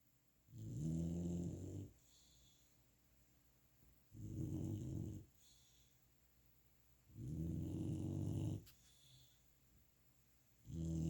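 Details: Female golden retriever puppy asleep and snoring after a fun day of playing: deep, rumbling low snores on each breath, each lasting over a second, roughly every three seconds, with quiet pauses between.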